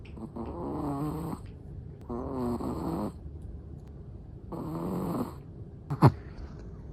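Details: Sleeping black-and-tan Chihuahua snoring in steady rhythm, three rough, nasal breaths about two seconds apart, with a sharp click near the end.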